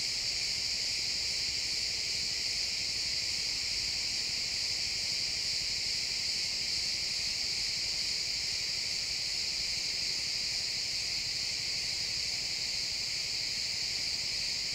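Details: Crickets chirping in a pine forest at sunset, a dense continuous high-pitched chorus of many insects trilling steadily without pause, forming a shimmering wall of sound with faint woodland ambience underneath, captured as a realtime stereo recording.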